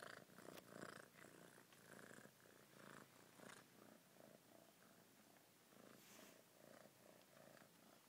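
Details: Soft, fluttering purr of a pet cat, fuller in the first seconds, then continuing in gentler, evenly pulsing waves of low rumble until the end.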